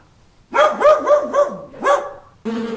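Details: Dog barking: five short, sharp yelping barks in quick succession over about one and a half seconds, then a pause and the abrupt start of a different steady, droning tonal sound.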